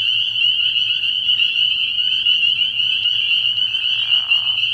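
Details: Spring peepers in a nighttime frog pond early in the year, their piercing peeps blending into a constant shrill wall of sound, with a brief lower rattling trill near the end.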